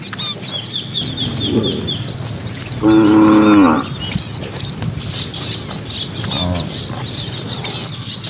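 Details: Cattle in a herd of dozens driven into the pen at dusk; one short, nasal moo of about a second stands out above steady background noise, with chirping birds twittering high over the herd.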